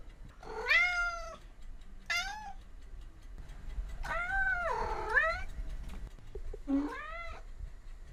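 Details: Domestic cat meowing indoors: four drawn-out, tonal meows, some rising then falling, spaced about two seconds apart, with a brief quiet gap between the second and third calls.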